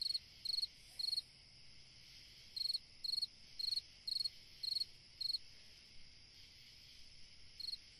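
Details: Summer night song of a cricket, high pulsed chirps in bursts, each chirp a quick triple or quadruple pulse, with a gap of about a second before the chirping resumes and fainter chirps toward the end.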